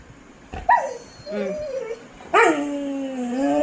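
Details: Pet Labrador Retriever indoors, upset that its leash has gone missing, giving drawn-out whines: a short wavering whimper, a brief sliding cry, then a long, steady, falling whine lasting over a second.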